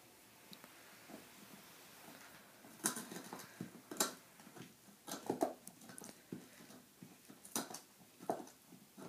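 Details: Nine-month-old female Saint Bernard gnawing a big new bone: after a quiet start, sharp crunching cracks and wet gnawing clicks come in irregular bursts, some loud snaps standing out among softer chewing.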